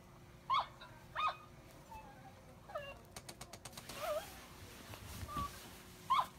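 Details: Jealous Cavalier King Charles Spaniel at play gives brief squeaky whimpers, four clear ones spread over several seconds, between soft scuffling, tapping sounds and a low muffled rumble.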